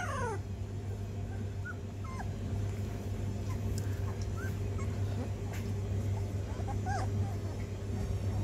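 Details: Rhodesian Ridgeback pups, sixteen days old, learning to walk: brief high squeaky whimpers and little yips pop up irregularly, some bending upward, scattered across the clip over a constant low electrical hum.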